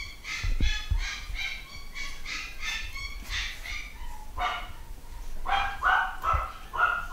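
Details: Malshi puppies, nine weeks old, from a new litter of boys and girls; short high yapping barks in quick bursts, with a few squeaky whines and some background noise.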